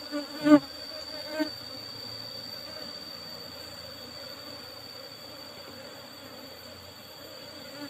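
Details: Asian honey bees (Apis cerana) during a honey harvest from an old box hive; even, unbroken buzzing hum with a couple of sharp taps early on and a faint steady high electronic tone in the background.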